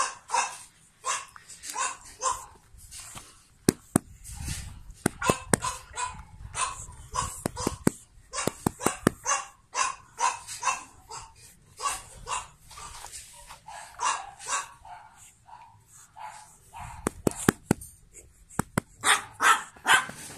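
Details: Pug puppies, born 9 April 2017 and one in a light-blue collar, bark repeatedly in quick, high yaps, mixed with sharp tapping clicks and faint low handling noise.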